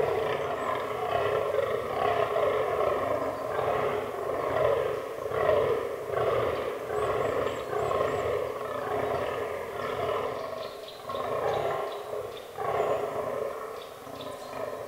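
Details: Fallow deer during the autumn rut in a forest, with a herd including albino and black bucks: a continuous chorus of rough, belching groans pulsing roughly once a second, overlapping, with faint high chirps in the background.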